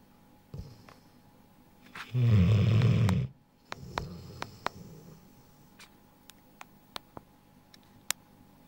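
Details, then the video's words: A Rottweiler, a male just over a year old, snores with a loud, deep rumbling inhale, followed by softer breathing. "Rottweiler (Vigo) Snores"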